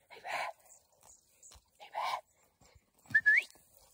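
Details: Young Podencos being schooled in training bark twice in short, harmonic yelps under a second apart, followed by a quick rising whistle.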